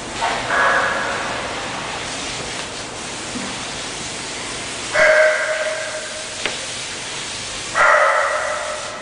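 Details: Suki, an English Bulldog, barks three times, loud and clipped, spaced a few seconds apart, with faint room noise between barks.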